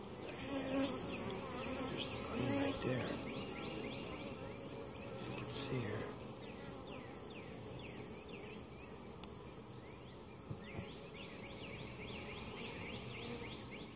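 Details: Honey bees buzzing in an open hive at Mt. Perry, Ohio, with queen and capped brood in the bottom box; a steady hum with louder swells in the first six seconds and repeated faint high chirps.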